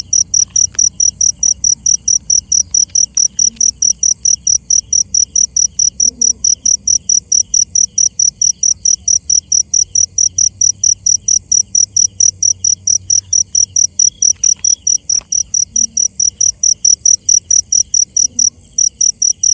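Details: Cricket chirping in the night, a long unbroken run of piercing pulses near three per second, with occasional faint taps and a soft low hum behind.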